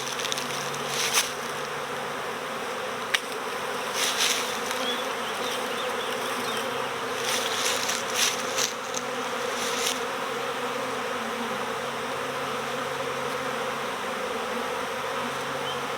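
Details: Dense swarm of honeybees during recovery into a swarm box, bees fanning at the entrance and a few going in: continuous droning hum with close fly-by buzzes clustered in the first ten seconds, then an even steady drone.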